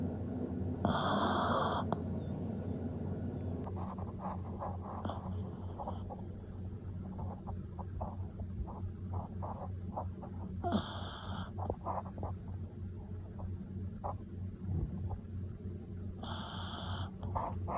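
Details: Sleeping Toy Poodle snoring heavily, at the end with eyes half open; low rumbling breaths repeat steadily throughout, with a few brief bright bursts of other noise standing out.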